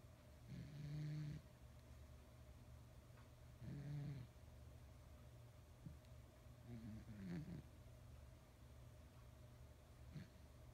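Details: Large male domestic cat of nearly 20 lb snoring while asleep and dreaming, with twitching face and paws; low rumbling snores repeat every few seconds over a steady background hum.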